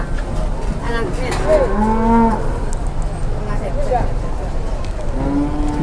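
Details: Cattle on a truck bedded with soil to reduce stress during transport in Indonesia; short low moos and grunts, partly masked by crowd noise and rumble.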